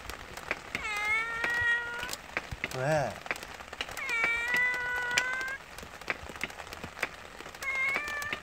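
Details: Young yard cat on a spring rainy day, refusing the food set out for it because of the rain and answering back in complaint: three long, drawn-out whining meows, over steady pattering rain with a brief human voice.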